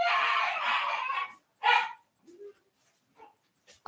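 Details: A boarded puppy with separation anxiety, shut in a spare bedroom, throws a fit after hearing the family: a long harsh, loud wail, then a shorter yelp and a few faint whimpers with pauses between.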